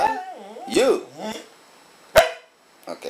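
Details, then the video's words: Goldy, a pet dog said to speak 'I love you' on command, gives wavering, up-and-down crooning whines that bend in pitch like speech, then a sharp knock and a person's voice praising him. "talking dog goldy"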